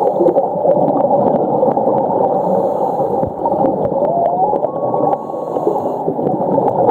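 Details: Underwater whale calls at Ningaloo Reef, Western Australia, where humpback whales migrate in winter: moaning and gurgling tones with a brief rising whistle over a dense wash of sea noise.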